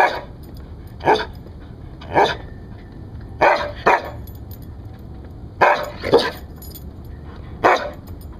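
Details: Siberian Husky, rescued, barking in guard-dog style: about eight punchy barks in uneven pairs and singles over eight seconds, with soft steady hum beneath.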